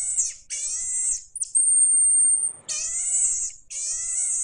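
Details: Pygmy marmoset voice: a long, steady, piercingly high whistle flanked by bursts of harsher, layered cries that slide gently downward, with little background noise.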